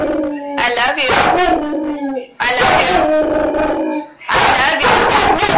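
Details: A German Shepherd howls in long, wavering tones, "singing" along as its female owner sings and talks with it.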